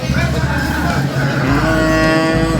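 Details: A Limousin breeding cow at a cattle market in Gorontalo, having its nose rope changed without being fully tied, gives a loud, deep, drawn-out moo lasting over two seconds, rich in low harmonics, with music underneath.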